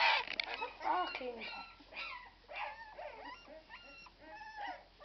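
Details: Irish Red and White Setter puppies at twelve days old squeal and whine, opening loudly with clustered yelps, then thinner repeated arching whimpers, about one a second, against quiet human speech.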